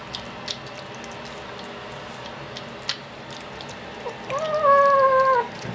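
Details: A hungry domestic cat meows once near the end: a drawn-out, slightly falling harmonic wail after several seconds of quiet indoor background with soft ticks.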